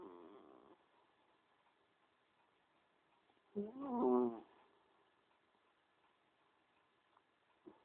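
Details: Cheeky cat snoring while asleep: a short, soft nasal rasp opens, then after a quiet pause of about three seconds comes a louder, buzzing, throaty snore lasting under a second, with a faint click near the end.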